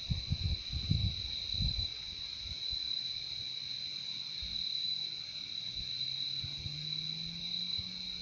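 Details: Crickets keep up an unbroken high trilling chorus while low rumbles sound at first, followed by a faint low hum slowly rising in the second half.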